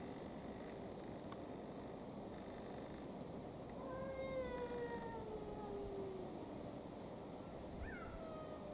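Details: In Cambridge, UK, at 2:58 pm on 7 July 2021, a domestic cat gives a drawn-out, tonal yowl that slides gradually downward, then a shorter falling cry, trying to avoid a fight with another cat, over a steady hum.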